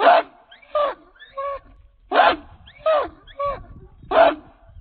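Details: King Rocco, a 66-pound American Pit Bull Terrier of Redboy Jocko lines, barking while on the chain: sharp, hoarse barks in quick pairs, roughly seven in five seconds, with short gaps between bursts.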